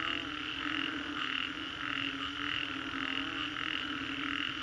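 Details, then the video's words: Massed frogs calling after a storm in Singapore's Green Corridor, steady pulsing croaks blending into a thick, continuous chorus with a low steady hum. "Frogs after Storm, Green Corridor, Singapore"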